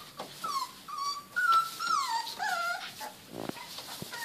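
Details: Border Collie puppies at day 28 playing together: a run of high, thin whimpering whines that slide up and down, with several short squeaky yips and a soft scuffle near the end.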